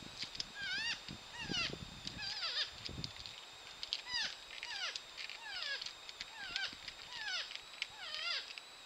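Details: Wild porcupines mating, the female up in a tree apparently rejecting the male on the ground: faint, high, squeaky whines sweeping downward, repeated in quick uneven series roughly every half second to second.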